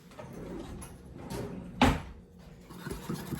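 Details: Indoor handling noises with a sharp knock or door-like clatter near the middle; no animal voice is heard.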